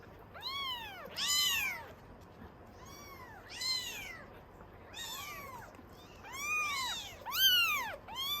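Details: Norwegian Forest Cat kittens in a cattery raising a clamour for milk: repeated high, arching meows from several kittens, pairs of calls overlapping, about one burst per second with brief gaps between.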